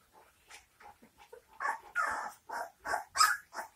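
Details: Litter of St. Bernard puppies, 19 days old, uttering a run of short whimpering squeals that grow louder and more insistent over a few seconds, each cry a brief nasal burst.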